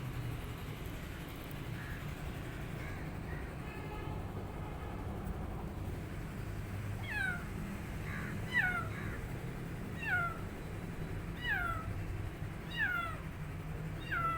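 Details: New rescue kitten, a male, meowing as he eats and misses his mother cat: a quick series of about seven short, high, falling mews roughly every second, following a quieter start with soft background hum.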